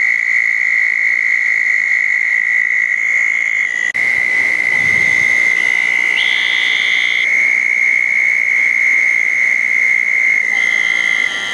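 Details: Southern toads trilling at small ponds after a thunderstorm, night of June 10, 2014: a constant high trill drones on, joined midway and near the end by separate higher buzzy calls of other frogs, plus a brief low thump.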